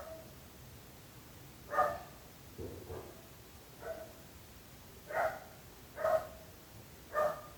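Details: A nuisance-barking domestic dog: short barks at uneven intervals, one softer lower sound between, the barks coming faster near the end, over a quiet background hum.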